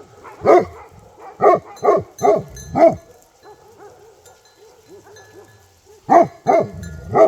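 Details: Bhote Kukur dog in Nepal giving a run of five deep barks, a pause filled with faint low whining sounds, then three more barks near the end.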